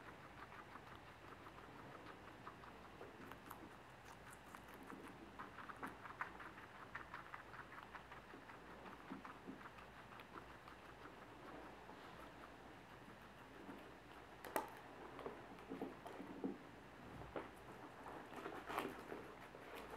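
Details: Guinea pigs having dinner indoors: dense, rapid crunching and clicking of chewing with light rustling, sharper bursts toward the end, in a small quiet room.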